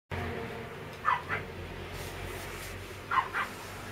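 Chihuahua puppies give short, high yips in two quick pairs over a low indoor hum.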